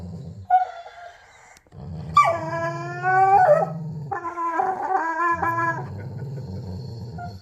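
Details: Domestic dog vocalising during a tug game: a short yelp-like note, then long stretches of deep pulsed growling overlaid with wavering, high whining howls that rise and fall.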